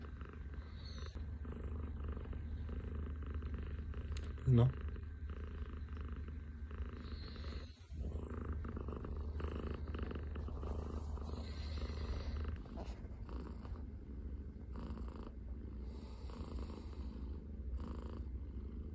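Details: Scottish Fold cat purring indoors in the morning after taking over a person's arm as a pillow. A steady, deep, rumbling purr runs throughout, with soft talking and a brief sharp noise near the middle.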